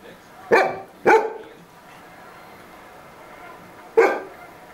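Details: Domestic dog barking at another dog indoors: three sharp, loud barks, two in quick succession about half a second apart, then a single bark roughly three seconds later, with quiet room background between.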